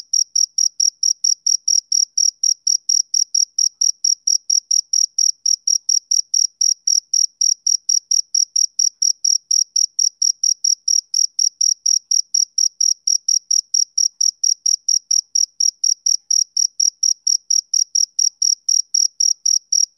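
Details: Male cricket chirping on a summer evening, a steady run of short, bright, high-pitched pulses repeated about four times a second with a faint upper overtone, no other sounds.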